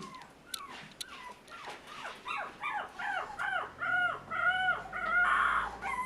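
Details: Toy Poodle puppy from a Tokyo breeder, whining in repeated arched, wavering cries that grow louder and more drawn out, near-howl quality toward the end.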